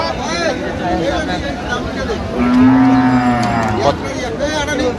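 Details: Thin, bony cow at Aftabganj cattle market on 1 November, giving one long, steady low moo about a second long with rich overtones, amid buyers' and sellers' bargaining chatter and crowd noise.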